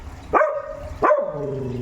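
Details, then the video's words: Noisy dog named Tomy gives two short, sharp barks about three quarters of a second apart, the second trailing into a longer, fading whine-like tone. "Mahilig mag ingay na aso"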